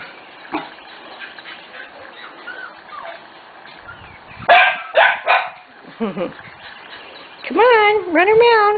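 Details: Corgi puppies almost six weeks old running around outdoors: quiet rustling, then a cluster of sharp yips near the middle and a long wavering whine at the end, with a woman calling to them.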